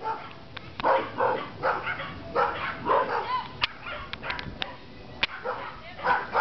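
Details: Rhodesian Ridgeback puppies Kaisi and Gixxer, four months old, guard with bursts of yappy barks about every half second. A few sharp clicks and clatters sound between the barks.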